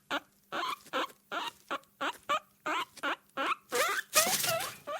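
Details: Guinea pig in a cage giving a rapid run of short squeaky chirps, about a dozen bursts in five seconds, ending in a louder, longer rising squeal.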